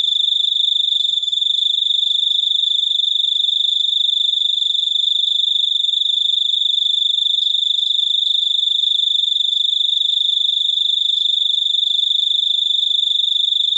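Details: Unbroken shrill cricket trill, a fast buzzing stream of pulses at one high pitch lasting the whole stretch with no pauses.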